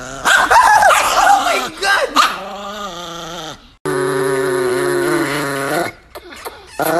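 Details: An angry, aggressive Chihuahua growls in long sustained stretches with a wavering, harmonic-rich snarl, broken by short gaps; a person's voice exclaims early on.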